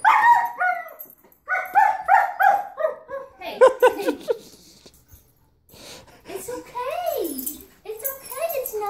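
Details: German Shepherd confronting a vacuum cleaner, giving quick runs of tonal, yelping barks, then a pause and long swooping whines that bend up and down, with a person talking nearby.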